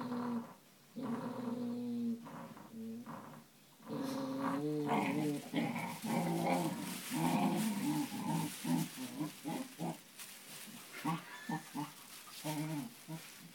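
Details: Cocker Spaniel puppy brothers fighting playfully indoors, giving throaty growls that break into rapid, choppy snarls and small whimpering yelps, growing busier and more broken toward the end.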